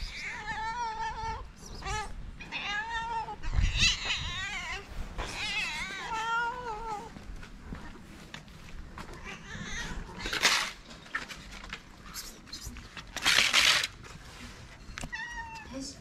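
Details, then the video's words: Street-living calico cats in Morocco crowd close, meowing for love and food from people; a rapid series of overlapping harmonic meows, rising and wavering, broken by rustling bursts and handling noise, one final meow at the end. "Calico cats living in the street gathered around us, meowing for love and food."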